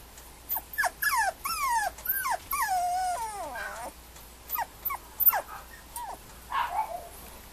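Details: Male Mame Shiba puppy at a Japanese breeder's kennel whining steadily: a run of high, downward-sliding whimpers, some drawn out into wavering cries, then scattered shorter yips after brief pauses.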